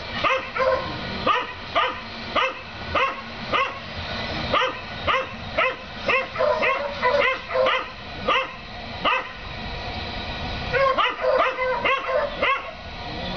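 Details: Neighbours' dogs barking at their rabbit on 7 April 2014, a daily occurrence; rapid, irregular sharp barks from more than one dog, roughly two per second, some overlapping, with a low background rumble.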